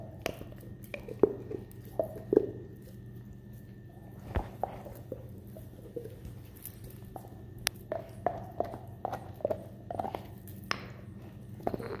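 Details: Gnawing, clicking and scraping against a steady low hum, with no animal calls.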